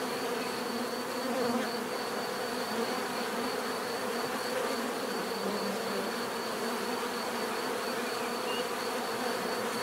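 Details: Continuous dense droning of a mass of bees, a constant layered hum with slight swells in loudness and a thin high tone above it.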